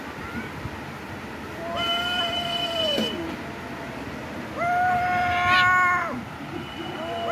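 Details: A domestic cat gives long, drawn-out fighting yowls that hold steady and then drop away at the end, aggression during a fight.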